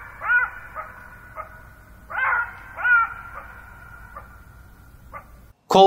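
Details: A Southern African black-backed jackal gives its alarm call: short, yelping barks, a few sharp cries spaced about a second apart, ending with a clipped human voice.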